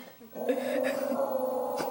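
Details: Dog indoors barking and howling at its own reflection in an open closet door mirror; a sustained whining howl with steady tone, faint room noise.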